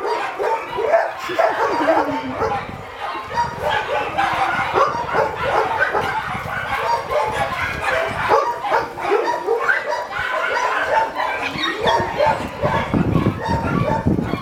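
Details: Three Rottweilers, a father and his sons, greet a volunteer and play wildly, giving excited barks, yips and whimpers.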